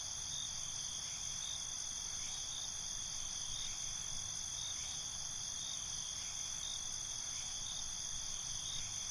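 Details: Crickets calling at night give an unbroken, shrill, high-pitched chorus of layered steady trills, even in loudness throughout, with a soft low rumble beneath.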